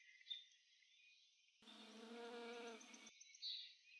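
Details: A fuzzy-horned bumble bee (Bombus mixtus, identified by colour pattern though the recordist is unsure) gives a low, steady droning buzz rich in harmonics, lasting about a second and a half.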